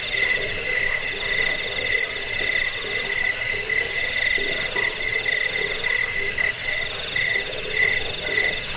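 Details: Jangkrik crickets, used to scare off rats, help with sleeplessness and train cage birds. Many callers trill at once in a thick, high, buzzy wall of pulses, with a steady lower chirp line underneath.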